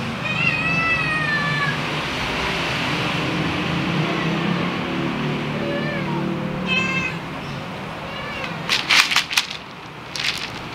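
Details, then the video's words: Kittens from an outdoor cat family meowing for food at meal time: several high, wavering meows close together early on, more meows around the middle, then a few sharp clicking knocks near the end over a steady low background hum. "Kittens meowing for food"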